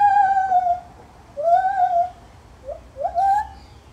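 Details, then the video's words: Zoo-kept Lar gibbon calling with sliding whistled hoots, a long falling note, then rising swoops and short upward notes building toward the end, quiet room behind. "Lar gibbon Monkey Sounds"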